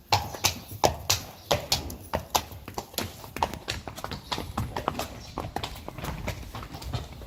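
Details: Friesian horses led outside, going fast: crisp, sharp clip-clop hoofbeats, loud and rapid, sounding roughly one to two strikes a second in an irregular trotting rhythm throughout.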